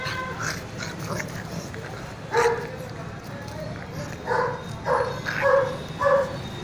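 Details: Indian Mastiff (bully kutta) puppy, one month old, letting out a few short, high yips spaced about half a second to two seconds apart, with low murmuring voices and hum underneath.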